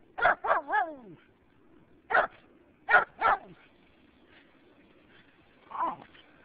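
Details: Jack Russell Terrier mix named Kirtland meeting a turtle: sharp, short barks and yips in quick bursts, three at the start, then a single bark, a pair near three seconds, and a fainter whine-like call near the end.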